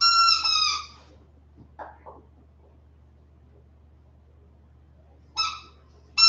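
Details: Young West Highland White Terrier puppies, 47 days old, indoors: one drawn-out, high-pitched whine lasting about a second, a few faint scuffs, then two more short squealing whimpers close together at the end.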